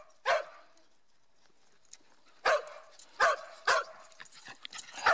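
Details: Zoomies on a southern Utah hike at Grand Staircase-Escalante National Monument: Mieli, a partly Schipperke dog, gives a lone sharp bark, a pause, then three spaced barks and a final one.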